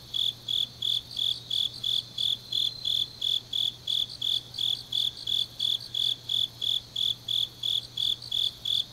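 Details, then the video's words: High, evenly spaced chirps of grass insects on an autumn night in Changnyeong, Korea, about three per second, joined by a fainter trilling insect and an unbroken low electrical-sounding hum. "깊은밤 가을 풀벌레 소리"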